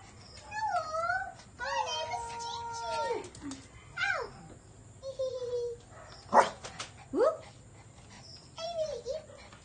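A Shih Tzu whines and yips in rising and falling squeals, begging for food.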